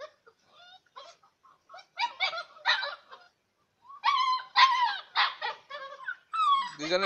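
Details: Bhotia dog puppies, six weeks old, barking at one another in play: irregular high yips and squeaky barks with whining, rising yelps, growing louder and busier toward the end.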